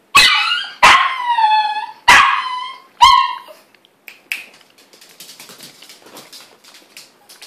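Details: Dog gives four sharp, high yelping barks at uneven intervals in the first three seconds, the last drawn into a short whine, then faint scattered clicks and rustling with a voice nearby.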